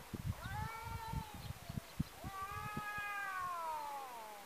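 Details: Domestic cats fighting; a neighbour's cat, chased off once, runs into a second enemy. Two long drawn-out howls, the first wavering and the second rising then slowly falling, over low thumping and scuffling noises.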